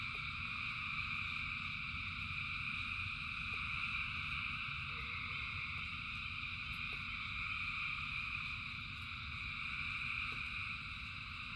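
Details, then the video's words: Thousands of frogs singing in rain form a dense, unbroken chorus of high trilling bands that hold steady throughout, over a low rumbling background and a few faint clicks. "Frogs in Rain 2 Hours of Frogs, Thousands of Frogs Singing"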